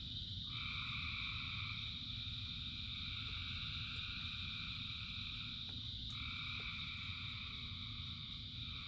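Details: In the rain, frogs keep up a droning high-pitched trill with one layer dropping out and returning near the end, set against the continuous hiss of downpour.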